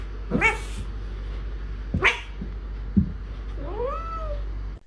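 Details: Domestic cat meowing: two short, sharp harmonic cries about a second and a half apart, a brief low thump, then a longer drawn-out meow that rises and falls, over a steady low background hum.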